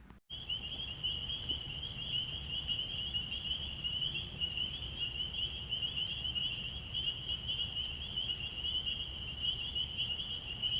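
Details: Field recording of a dense spring peeper (Pseudacris crucifer) chorus at wetlands in Alabama during frog season: countless high peeps blending into one steady, shrill ringing.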